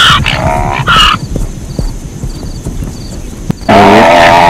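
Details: Zebra: two short, hoarse barking yelps open the clip, followed by a lull with low rumbling, then a loud, sustained nasal bray at the end.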